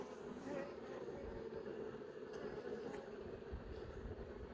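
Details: Honey bees in a hive as several young bees emerge from brood cells; a continuous low buzzing drone holding a steady pitch, with faint rustling and knocks beneath it.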